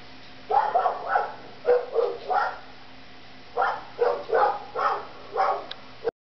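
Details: Siberian Husky, one of the household pair Yuma and Mishka, vocalising in bed indoors: short yowling, talking-style yips in two bursts of about four calls each, separated by a brief pause, over a faint steady room hum.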